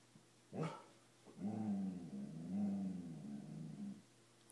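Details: Dobermann frightened by a coat, growling low and steadily in several long rumbling bouts, preceded by a brief yelp-like sound and ending with a sharp noise.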